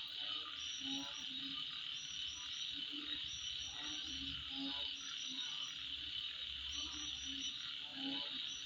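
Insects trill in a steady high-pitched drone at night, with croaking frogs mixed in.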